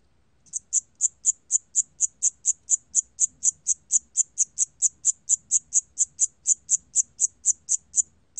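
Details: Cricket chirping from a 2020 National Institute of Biological Resources recording: high, clean chirps repeated steadily about four times per second, with no other sounds.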